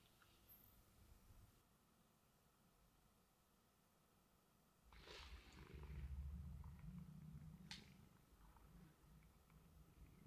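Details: Sleeping domestic cat snoring indoors at home: near silence for about five seconds, then a steady, low, rumbling breath sound swells and holds to the end, broken by a brief sharp click.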